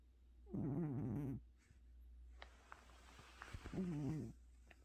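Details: Pet cat Gucci sleeps off a tiring vet visit, giving two wavering, throaty snores about three seconds apart, with soft breathing and small rustles between them.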